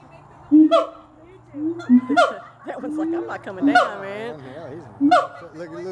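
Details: Siamangs calling at Gulf Breeze Zoo: loud sharp barks about every one and a half seconds, mixed with swooping, wavering whoops and lower hoots, and human chatter in the background.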